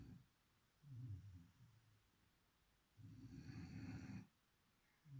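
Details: Sleeping beagle named Chipi snoring: low rumbling breaths, a short inhale near one second then a longer, rougher snore at three to four seconds with a faint higher whistle on top, quiet room between.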